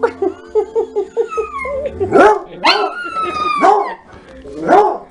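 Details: A Coonhound and a Chihuahua howl back and forth in a singing conversation. Short, evenly spaced yips come first, then long, sliding, wavering howls that rise and fall. People talk and laugh quietly in the background.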